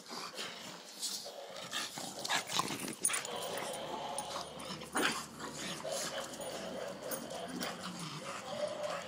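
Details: Bulldog during play, with sharp irregular bursts of whining and yelps spread through the clip over a constant background hum, and voices speaking Spanish nearby.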